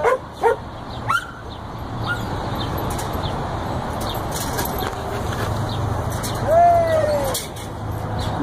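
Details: A 14-week-old Border Collie pup herding sheep gives a few sharp, high yips close together in the first second, then a drawn-out, wavering, falling cry later on, over steady low wind rumble outdoors.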